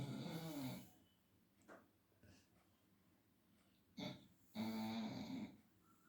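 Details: Leo, a Labrador Retriever, snoring in a deep afternoon sleep: two rasping snores about four seconds apart, with a soft breath and small rustles between them in a quiet room.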